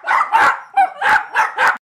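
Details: Excited puppies Lola and Brooke, barking at their own on-screen image, give six rapid, shrill yapping barks in under two seconds, with one brief squeaky whine between them.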